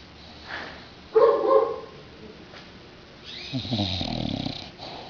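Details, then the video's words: Kate, a bulldog, snoring: a brief throaty burst, then a low rattling snore of rapid pulses drawn out over about a second, against quiet room background. "Kate bulldog roncando"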